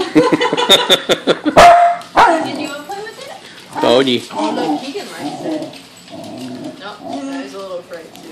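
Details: Pembroke Welsh Corgi Lakota, agitated by a balloon she dislikes, gives a rapid burst of short barks, then drawn-out, wavering whiny yelps, while people talk and laugh nearby.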